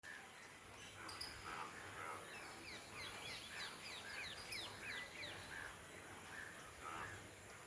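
Frogs call after rain with quick, high, upward-sweeping chirps to attract mates.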